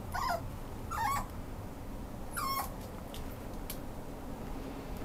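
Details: Italian Greyhound at a Japanese pet shop that rehomes dogs, giving three short high whining yips in the first few seconds over a steady background hum.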